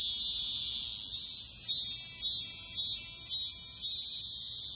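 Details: Cicada singing in a steady, high, shrill buzz, swelling into louder pulses about every half second to second, with no other clear sounds.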